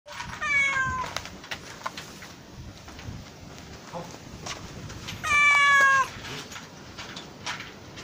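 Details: Stray kitten on an island, stuck in a small drain hole and crying for help: two loud, drawn-out meows with rich harmonics, falling slightly in pitch, about five seconds apart, over quiet outdoor background noise.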